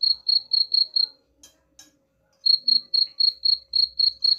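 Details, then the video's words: Cricket chirping meant to scare rats away: rapid high chirps about four per second, a brief pause broken by two faint clicks, then the regular pulsing returns. "suara jangkrik pengusir tikus ampuh"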